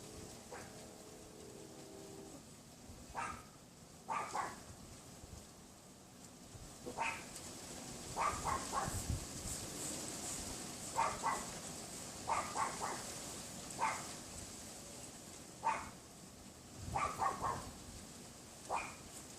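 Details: Yapping Pomeranian in a neighbour's yard behind a privacy fence, windy afternoon of 6 February 2015 about 3:18 PM: single sharp yaps roughly every second or two, spaced unevenly, over constant wind hiss.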